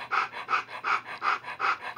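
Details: Alaskan Noble Companion Dog puppies from the Helix Darwin litter of nine, six males and three females in agouti and liver, in their early days; rhythmic breathy pants pulse about three times per second, steady and even.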